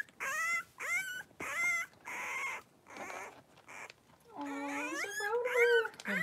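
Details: Wrestling litter of five three-week-old blenheim Cavalier King Charles Spaniel puppies, born at New Year in a home pen; a run of short rising whimpers about a second apart, then drawn-out wavering squeals.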